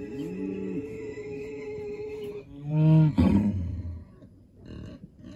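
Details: Aberdeen Angus cow with her calf, waiting at the farm gate in the morning; a low, drawn-out moo with steady harmonics, then a louder rising bellow, followed by quieter rumbling.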